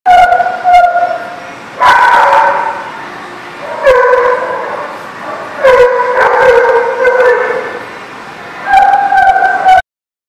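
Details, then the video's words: Dog at a place called the Barking Lot, recorded 8/9/19: a run of five loud, harmonic, drawn-out barks, some with a whining tone, spaced about two seconds apart, with no other clear sounds. "The Barking Lot"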